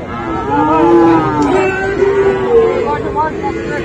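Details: At Raniganj cattle market in Dinajpur on 7 November 2024, Friesian and crossbred cattle give a loud, wavering moo followed by shorter calls from other animals amid a dense hubbub of people.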